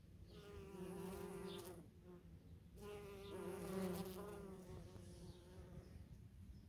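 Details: Bees and bumblebees visiting false stonecrop blooms in a German garden plot. A steady, low droning hum that swells and fades as insects move close, with a brief dip in the middle.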